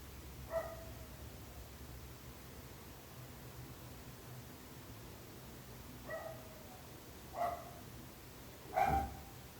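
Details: A dog barking at irregular intervals: four separate sharp barks spread over nearly ten seconds, the last the loudest, with quiet low background rumble between.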